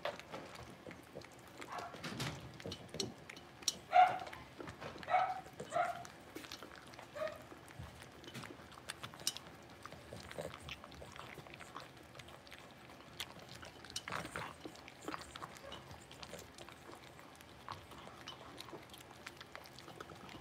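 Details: Litter of five blenheim Cavalier King Charles Spaniel puppies, six weeks old, kept in a home puppy pen; a cluster of short, high whining yips in the first seconds, then quieter scratching, shuffling and faint clicks.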